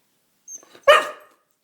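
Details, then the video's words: Pet dog begging for food gives a single sharp, loud bark after a soft short whimper, then silence. "Dog Crying for Food"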